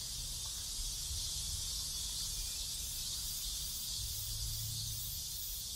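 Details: A loud, continuous high-pitched hiss of cicadas fills a neighbourhood in South Korea, steady and without pauses, with a faint low hum below.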